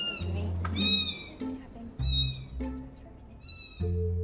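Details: One-week-old domestic kittens meowing to call their mother over, the mother responding attentively; three thin, high, slightly quavering meows less than a second each, over a low musical background.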